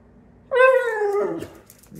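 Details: Pit Bull, a pet dog indoors, 'talking' to demand carrots after already having treats: one drawn-out, whining vocal note with rich harmonics that starts high and slowly slides downward, then fades into faint room noise.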